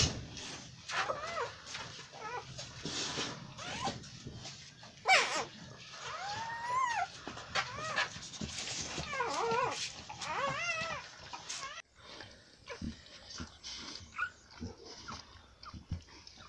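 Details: Newborn American Bully puppies whining and squeaking in arched, wavering cries, several overlapping, scattered through the recording with bumps and rustling between them.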